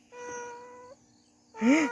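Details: Domestic female cat calling her owner while carrying something in her mouth. A steady, harmonic tone is followed by a short pause, then a loud meow that rises and falls, with a human voice nearby.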